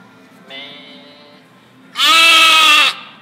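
A domestic sheep gives a soft bleat, then a loud, harsh, wavering baa.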